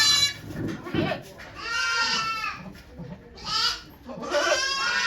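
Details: At Yoshigake goat farm, with Okayu giving birth to two kids on 3 May 2023, drawn-out quavering bleats come in two bursts after low murmured voices and rustling.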